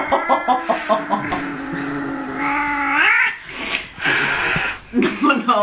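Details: Blacky, an angry 15-year-old cat in Norway, utters a rapid string of short yowls, then a long moaning growl that bends upward into a wail, mixed with Norwegian voices and laughter.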